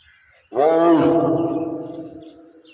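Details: Lion at feeding time: a single loud, harmonic, growling roar that starts abruptly, holds steady for about a second and a half, then fades, with a quiet background.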